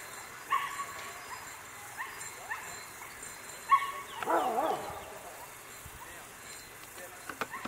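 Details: Whippet at coursing training in Charonnay, 29 June 2020: short, high, excited yips at intervals, then a wavering whining yelp in the middle, with human voices and outdoor background noise.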